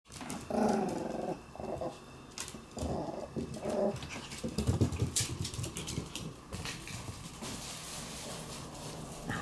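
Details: White Shiba Inu named Meru snatching the favourite toy of black Shiba Inu Abu; indoors, several low, rough growl bursts with harmonic bands in the first half, then scuffling and rustling noises.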